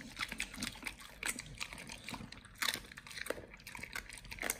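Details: Pit Bull named nomyen eating raw quails indoors, raw-fed: irregular crunching and tearing bites, dense clicks and snaps spread through a quiet room, louder crunches near the middle and end.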